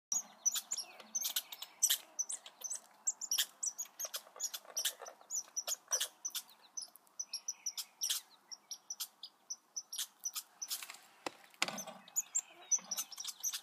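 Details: Baby red squirrels giving rapid high, thin squeaks and chirps, with sharp clicks and scratchy rustles scattered irregularly through the recording and a few short tonal whistles.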